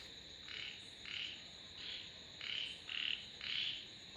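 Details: Rapid run of frog croaks, short nasal bursts repeated nearly twice a second, growing louder toward the end, with a steady high background hiss.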